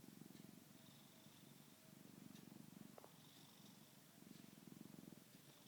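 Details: Sleeping pet cat purring and snoring, a steady low throbbing rumble that swells and fades in breathing cycles, quiet throughout with a faint hiss and occasional small click.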